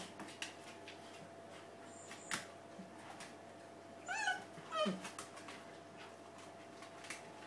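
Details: Bull Terrier puppies of a litter, asleep, give a few soft, brief squeaky whimpers, including one falling whine near the middle, over a steady low indoor hum and faint rustling.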